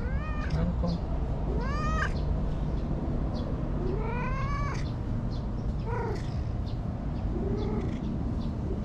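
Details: Anko, a cute stray cat by a bright green lakeside park in Japan, meowing constantly and chattily, said to cry like a bush warbler: several rising-falling harmonic meows in quick succession over steady low outdoor rumble.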